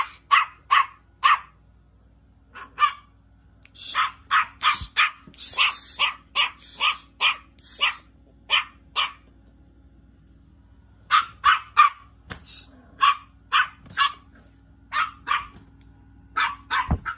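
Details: Angry little dog barking in sharp, high bursts, often in quick runs of two to five barks separated by short pauses, with a steady low hum underneath.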